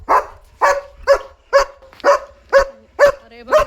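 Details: Leo, a German Shepherd, barking at night because he knows another dog is outside; eight sharp, loud barks come in steady succession about every half second, with no other sounds competing.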